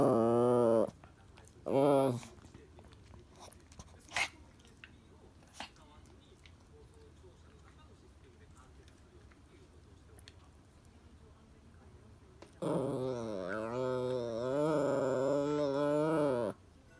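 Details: Toy Poodle El pestering Happy Hannah indoors because she badly wants the ball: two short moaning growls at the start, a long quiet stretch, then a drawn-out wavering, grumbling whine lasting about four seconds near the end.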